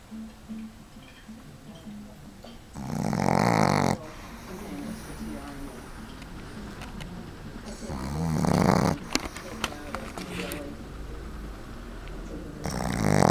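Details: A 7-month-old female Boston Terrier puppy, asleep on a lap in an office, snores in loud, rumbling, rasping breaths spaced several seconds apart.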